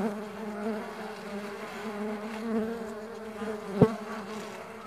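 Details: Steady low hum of many stingless bees at a bee farm, the buzzing even and wavering slightly in pitch, broken by one sharp click near the end.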